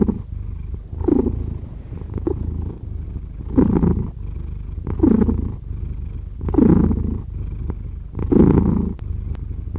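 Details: Steady, deep purring from a cat, rising in short louder surges on each breath about every one and a half seconds, with a soft rumble continuing between them in a quiet setting.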